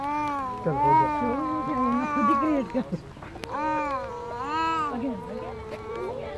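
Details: Zoo wolf pack at Woodland Park Zoo in a howling chorus, voices wavering and bending up and down in overlapping yowling phrases, a brief pause midway before the wavering tones resume.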